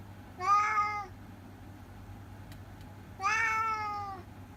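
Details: Two separate meows from Masaru, a talking orange tabby cat in Japan, each under a second, bright and harmonic with a slight rise and fall, set apart by a quiet gap with a faint click.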